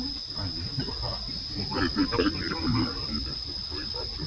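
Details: Young monkey Lucie cries out to her mother Luna with a brief cluster of shaky, tonal calls in the middle, set against constant buzzing insects and low background noise.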